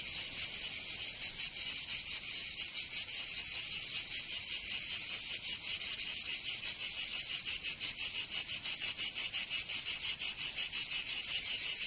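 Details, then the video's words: Southern French cicadas in Provence during summer, a strident high buzz beginning softer and irregular, then settling into loud, crisp pulses near three per second for the rest of the stretch. "Canto Cigarra 🦗 [ Escuchar les cigarras en verano 10 H]"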